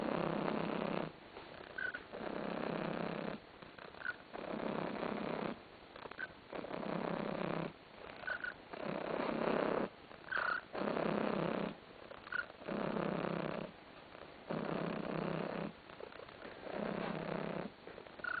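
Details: Domestic cat named Tarasik, content and lolling on a sofa indoors, purring steadily in broad rumbling blocks of about two seconds, each breath in and out, with faint higher squeaks now and then between them.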